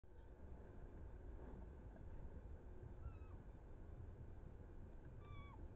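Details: Roe deer, a buck and a doe chasing each other on 7 August 2024: two short, high whistled calls with harmonics that dip and fall, near three and five seconds, over steady low rumbling background noise.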